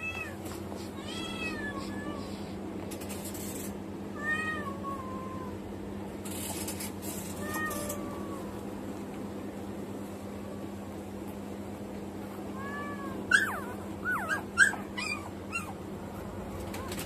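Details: Six newborn Samoyed puppies, born on the morning of 14 May to the mother Kamon at ZOO Shin-Okubo. Thin, high mewing squeaks rise and fall, soft and scattered at first, then a few sharper squeals near the end over a steady low hum.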